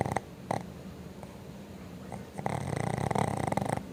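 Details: Boston Terriers sleeping indoors while being babysat, snoring loudly: short rattling breaths at first, then a longer buzzy, rasping snore near the end.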